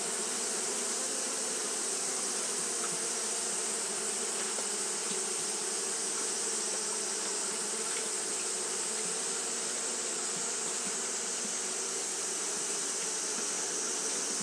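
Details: Japanese honey bees fanning continuously in hot weather: a long, unwavering low buzzing drone with occasional brief louder buzzes passing by, plus a steady high-pitched hiss throughout.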